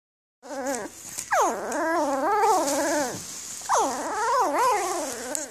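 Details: Newborn Afghan Hound puppies recorded in late May 2014 whimpering: two long, wavering whines that rise sharply and then slide down, with harmonics stacked above them, over a steady background hiss.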